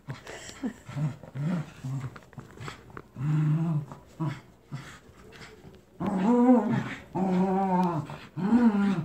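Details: Captain Jack and Scarlett, terriers wrestling over a toy duck during tug-of-war: softer short growls and whines at first, then three louder, sustained rumbling growls in the final three seconds.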